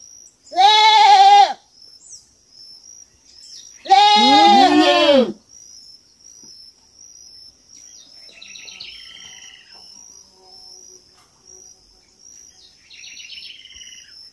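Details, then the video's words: Farm kid goat giving two loud, quavering bleats a few seconds apart, followed by quiet stretches with soft bird twitters and a constant high-pitched insect drone. "Som de fazenda e cabrito berrando"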